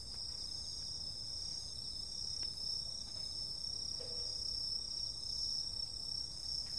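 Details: Insects calling on a summer night: several steady, high-pitched continuous trills layered together, with a slightly lower pulsing trill beneath, a few faint clicks, and a soft low rumble in the background.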